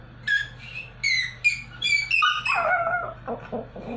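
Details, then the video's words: Small Pomeranian attempting to sing, giving a string of high whistled whimpers and squeaky yips that climb, waver and slide downward into a drawn-out falling whine near the end, over a faint steady room hum. "The Little Pomeranian Dog that Tries to Sing"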